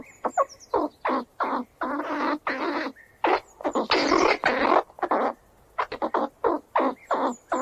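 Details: Squirrels squeal as they run around. Rough, rasping bursts of uneven length crowd together, some drawn out to nearly a second, with brief gaps between them. A thin, high, faint whistle is heard now and then.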